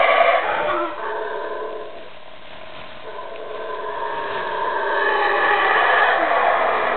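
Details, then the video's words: A wild male black howler monkey in Calakmul Biosphere Reserve, Mexico, gives a deep, rasping roar that rises and swells to defend his territory. "Wild black howler monkey howling"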